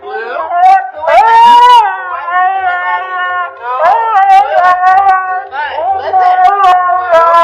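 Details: Husky puppies vocalize in drawn-out, wavering howl-like cries rich in overtones, rising and sliding in pitch, with sharper yelping bursts near one second and again near four seconds, running almost continuously through the stretch.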